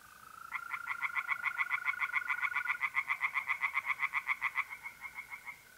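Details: Tree frogs singing at night in a pond in north-east Italy in mid-April: a fast run of harsh, evenly spaced pulses, about seven per second, lasting roughly four seconds, over a steady high trill of mole crickets.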